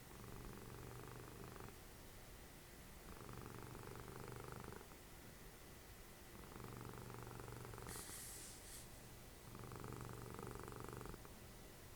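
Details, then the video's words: Snoring cat Dessie, mother of Fritjof, cuddled up indoors during TV watching. Rhythmic rumbling comes in four even waves, each about a second and a half long, alternating with softer inhalations, plus a brief hissy rustle near the end. "Snoring machine, cuddly cat"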